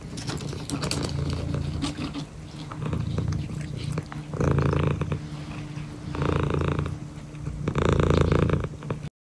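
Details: A male cat, healing after being burned in a fire pit, gives a deep, even purr that throbs quickly and continuously. Louder breathy swells rise and fade every second or two over handling noise.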